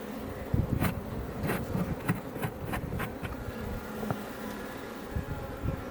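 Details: Iberian honey bees around a Langstroth hive near Els Port National Park, south Tarragona, Spain, building comb; a steady hum of wings under repeated low thumps and sharp crackling knocks, likely handling or bees striking the box.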